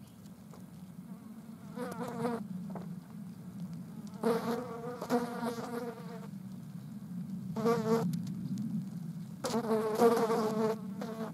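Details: Green bottle flies at a dead mouse, buzzing in several bursts of one to two seconds over a steady low droning hum, the bursts louder and richer in overtones.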